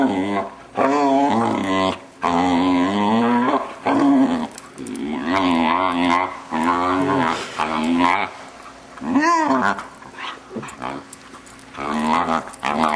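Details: A six-month-old Vizsla indoors, vocalising strangely during play with its owners: near-continuous warbling, moaning whines mixed with growly grumbles, broken by brief pauses, with one sharp rising-falling yelp near the end.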